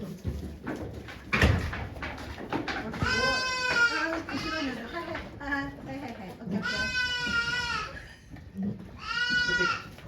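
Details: At Yoshigake farm, goat Okayu gives birth to two kids on 3 May 2023 before watching volunteers. Human talking and handling noises open the clip, then three long, wavering, harmonic bleats come at intervals of about three seconds.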